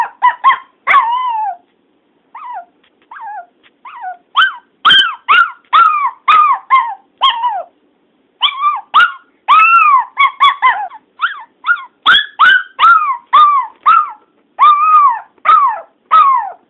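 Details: Dog named Teddy barks and howls for his owner's sister when she is out of view; long irregular stream of high, harmonic yips and wails, some fast clusters, brief gaps between bursts, no other sounds.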